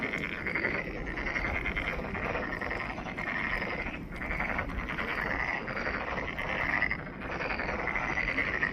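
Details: Steady frog chorus at Monet's Pond, Ulsan National Garden: numerous callers give rapid pulsed croaks in a continuous rattling drone, with faint low rumble underneath and short dips in loudness.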